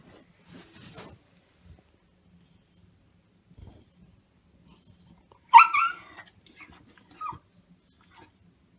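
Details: Maro, a male black Shiba Inu, whines for his food: a series of high, level whistle-like whimpers, then a louder wavering, cracking yelp in the middle, followed by small squeaks and more thin whistled notes in a quiet room.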